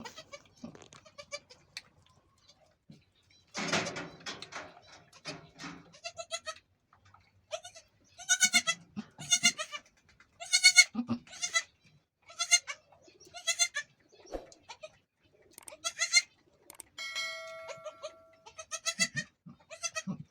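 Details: A goat giving birth to the first of two kids gives a run of high, quavering bleats, some short and sharp, others drawn out and wavering.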